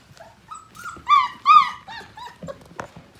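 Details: Five-week-old Portuguese Water Dog puppy during morning play with its litter; a loud burst of high, drawn-out whining yelps, rising then falling, followed by a few shorter squeaks.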